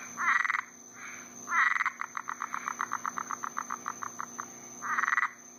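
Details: Frogs calling at night in Florida in summer after a rain-storm while mating: short buzzy trills alternate with a long run of evenly spaced clicking croaks, about four per second, over a steady high insect hum.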